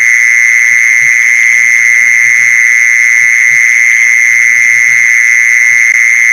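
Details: A mole cricket lure call rings as a loud, even, continuous buzz with a thin upper overtone and no breaks, while soft low knocks sound irregularly in the background.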